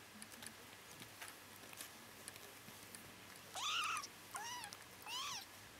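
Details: Sleeping Bengal kittens twitching and dreaming give three brief rising-then-falling mews in quick succession near the end, each with bright harmonics, after a few seconds of soft background rustle.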